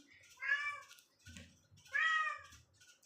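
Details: A domestic cat that keeps wanting to go outside gives two drawn-out, harmonically rich meows, about a second and a half apart.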